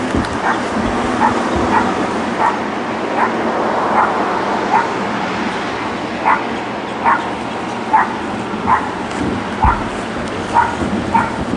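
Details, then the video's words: Dogs left alone in a neighbour's back yard during working hours; fainter, distant single yaps repeat about every half to one second, partly masked by broad background noise and low rumbling. "Barking Dogs"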